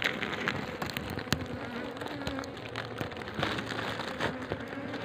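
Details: Honey bees in more than ten layers inside a small deep hole in a coconut tree, giving a dense, steady buzzing hum with low droning tones throughout and scattered clicks and taps.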